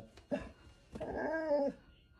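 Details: A black Labrador retriever in the front yard barks at rabbits: one sharp bark, then a longer, drawn-out whining bark.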